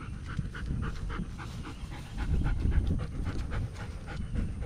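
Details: German Shepherd curious about a turtle met on a morning walk, panting quickly in rapid breathy bursts about four a second over a low rumbling background.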